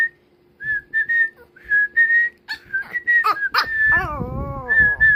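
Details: Pomeranian named Kkomi reacting to a person's whistling: repeated steady whistled notes, then near the end a drawn-out whining howl with stacked falling harmonics before the whistling resumes.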